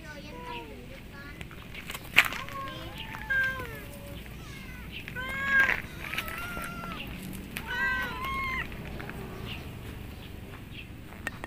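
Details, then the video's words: Hungry, lonely cat giving a long run of loud meows, short arched calls repeated every second or two, mixed with people speaking and a few sharp knocks. "KUCING YANG KESEPIAN DAN LAPAR MEONG DENGAN SANGAT KERAS"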